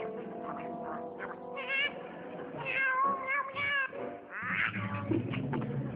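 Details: House cat giving repeated wavering meows, several rising then falling notes in quick succession, over a steady background of low humming tones.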